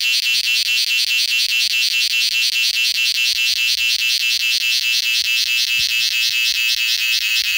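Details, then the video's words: Indian cicada calling to attract a mate, a steady piercing high-pitched buzz made of rapid pulses, about two or three per second, running unbroken throughout with no other clear sounds. "Sound of cicada || ചീവീട്‌ || ಜೀರುಂಡೆ ||झींगुर||Mating call"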